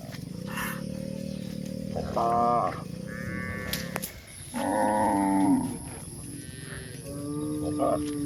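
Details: Village cows grazing in a countryside pasture, a series of moos of varied pitch, a low drawn-out lowing and shorter higher calls, against a continuous low rumble and a faint high tone.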